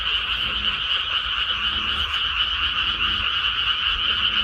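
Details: Rice-paddy frogs after planting season croak together in a thick, unbroken chorus; rapid trilling calls blur into a steady two-toned buzz, with faint low rumbling underneath.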